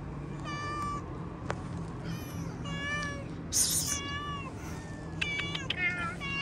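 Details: Domestic cat outdoors meowing repeatedly, about six short meows spread over several seconds, some rising and some falling, with clicks, a sharp high rustle and steady low hum in the background.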